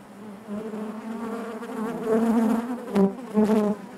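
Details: Dense buzzing of honey bees in their hive, a full low hum growing louder toward the end, where two strong close buzzes stand out above the steady drone.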